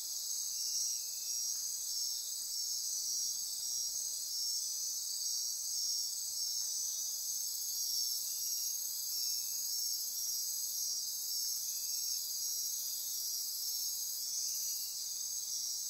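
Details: Nocturnal insect chorus from Costa Rican rainforest by Corcovado National Park, Osa Peninsula; constant shrill ringing and trilling overhead, with short lower chirps recurring every few seconds.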